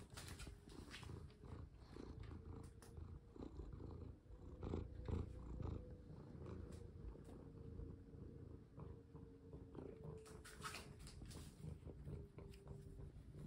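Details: Indoor house cat purring during play while a collar is fastened on; steady deep rumble throughout, scattered clicks and fabric rustling, a faint constant electrical-sounding hum behind.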